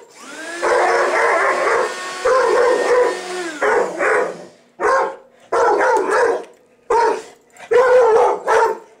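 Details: House dog upset by a vacuum cleaner: a long, wavering, harmonic howl lasting over three seconds, followed by a string of short, sharp barks spaced about a second apart over a running-motor hum.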